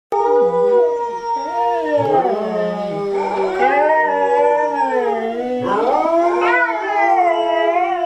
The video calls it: Rugby and Riley Cardigan Welsh Corgi Dogs Sing a Song